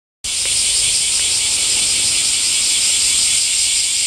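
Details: Cicadas singing in summer heat: after a brief silence, a dense, unbroken high-pitched buzzing drone starts suddenly and holds steady in loudness to the end, shimmering with a slight pulsing texture and no other clear sounds.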